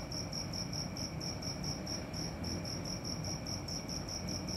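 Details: A cricket at night sings a steady series of short, high-pitched pulses in an unbroken rhythm, heard against a soft continuous hum and low rumble.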